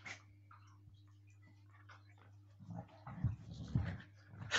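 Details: Siberian Huskies play-fighting indoors: quiet at first apart from a steady electrical hum, then from midway several low, rough growling bursts, the loudest near the end, mixed with scuffling.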